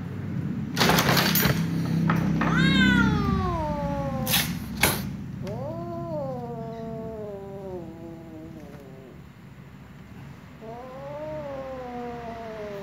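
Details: Jealous black female cat targeting a playing little ginger cat: long drawn-out wailing yowls with rising then slowly falling pitch, three main wails with sharp clatters early on and a low steady hum beneath.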